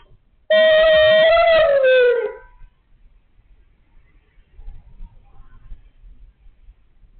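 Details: Siberian Husky 'talking': one sustained, howl-like vocal tone of almost two seconds that holds steady, then sags in pitch at the end before the recording falls quiet.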